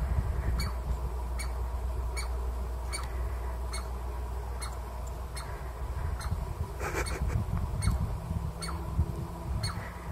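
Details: A Douglas squirrel (chickaree) in a Pacific Northwest forest gives sharp, squeaky barks, repeated steadily about once a second; such barking warns of danger or defends its territory.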